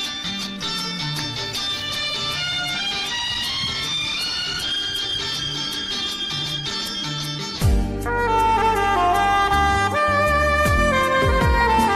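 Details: Instrumental Bollywood-style music with reedy wind melody over a steady beat, shifting to a new section near the eight-second mark, no animal voice heard.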